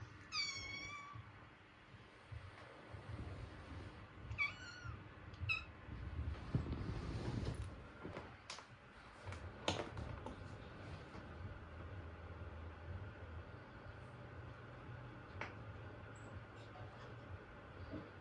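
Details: Kitten indoors giving a cute meow: a few short high rising-falling mews near the start, then faint mews, with a steady low hum and some handling noise.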